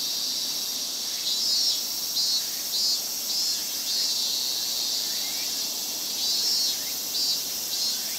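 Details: Loud chorus of cicadas in summer in Japan: an unbroken shrill high-pitched hiss, with short louder throbbing bursts from nearer insects recurring about every half to one second.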